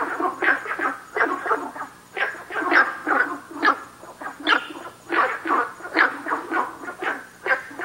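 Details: Günther's frog calling at Nanhegu, giving short, gruff broadband croaks in loose irregular series, roughly two dozen a minute, several overlapping, with a faint steady high hiss behind.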